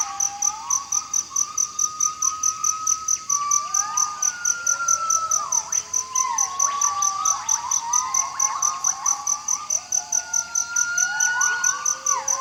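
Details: Gibbon singing loudly to proclaim its territory: a series of clear whistled whoops that swoop up and down, some rising sharply, overlapping and repeated through the stretch, over a steady fast ticking of insects.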